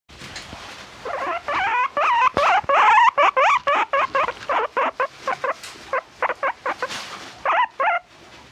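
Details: A pet guinea pig vocalizing in a quick run of short harmonic squeaks and chirps, tightly grouped in the middle and thinning to spaced bursts toward the end, about two per second, over a quiet indoor background.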